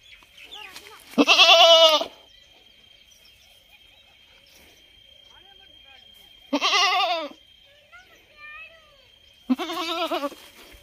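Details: Goat giving three loud quavering bleats, the first longest, spaced several seconds apart, with fainter bleats and a steady high-pitched tone in the quiet gaps.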